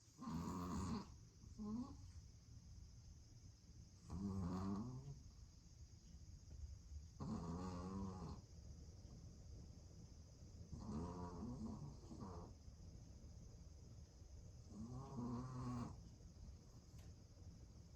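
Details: Shih Tzu × Pomeranian mix dog snoring indoors: soft, rasping snores roughly every three to four seconds, each a short buzzy rattle over a steady background hum.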